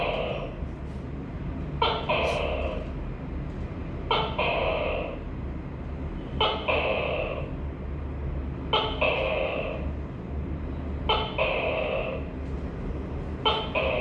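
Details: A tokay gecko gives six two-part calls, each a quick sharp onset then a drawn-out nasal syllable, spaced evenly about every two seconds against a constant low-pitched background hum.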